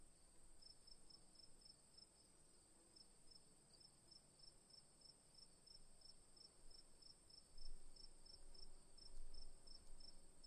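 Short, bright cricket chirps repeat at a quick, even pace, a little over one per second. Beneath them runs an unbroken, thin, high-pitched trill, with a faint low rumble in the background.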